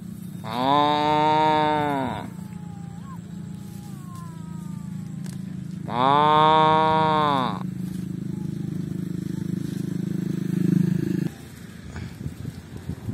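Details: Tame cattle roaming and eating in a rice field: two long, steady moos of about a second and a half each, several seconds apart, followed by a low steady hum.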